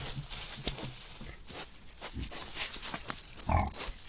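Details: A herd of wild boar foraging for food in the Parco Nazionale Foreste Casentinesi, captured by a camera trap; a few low, short grunts rise out of steady rustling and scuffing, with one louder grunt near the end.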